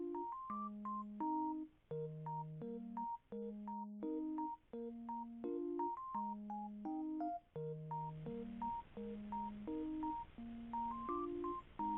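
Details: Gentle electric piano background music plays a slow repeating melody over soft chords, with no animal sound.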